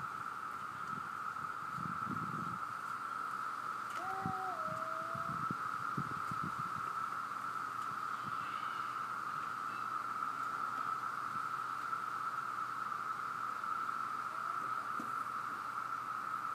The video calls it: Cicadas chirping in background